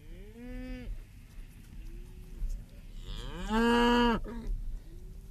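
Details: Cattle mooing in a low-noise setting: a short moo at the start, a faint lower call, then a long rising, loud bellow around three to four seconds, followed by softer short moos.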